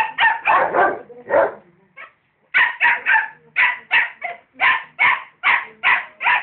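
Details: A rottweiler and a dachshund barking at each other: sharp, loud barks in rapid bursts, a quick cluster at first, a short pause, then a steady run of evenly spaced barks about every third of a second.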